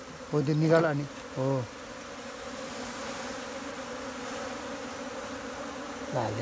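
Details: Wild honey bee swarm being caught with bare hands from a tree in a jungle in Nepal and moved into a modern hive; a steady droning hum runs throughout, with brief human speech at the start and end.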